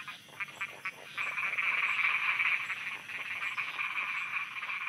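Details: Nighttime frog croaking in Thailand, beginning with a few spaced pulsed croaks, then swelling after a second into a dense fast chorus of rattling calls, about four pulses a second.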